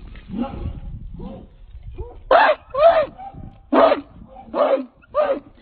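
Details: American Pit Bull Terrier, a 66-pound male, on the chain: a run of deep, loud barks, five strong ones in the last half, preceded by softer grumbling vocal sounds.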